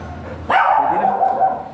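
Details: Golden Retriever at a stud service in Binalonan, Pangasinan, giving one sudden loud bark that trails into a drawn-out, slightly wavering whine-like tone for about a second, over a quiet background hum.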